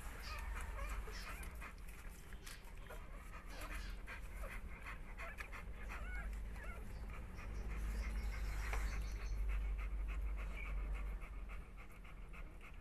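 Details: American Bully dog during whelping: fast rhythmic panting with a few short, thin whimpering squeals, over a steady low rumbling background noise.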